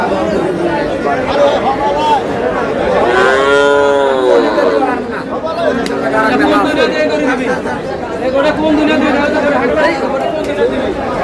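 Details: Cows with calves at Aftabganj market in Dinajpur, 18 July 2026: one long, rich moo swells and fades midway, set against constant crowd chatter and nearby talking.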